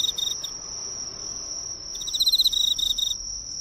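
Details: Emma field cricket visiting the light of a nearby drugstore: brief broken chirps at first, a quiet spell, then a bright one-second trill of fast regular pulses, over a constant high thin tone.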